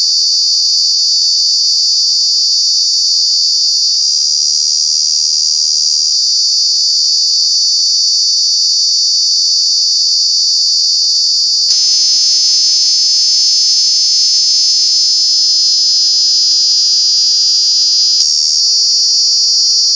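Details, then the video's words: Cicada in Kanha National Park, calling in the summer months: a loud, high, continuous buzzing drone throughout, joined midway by a steady lower humming tone for several seconds before it drops slightly in pitch. "Cicada, Cicadas are true bug with very loud sounds"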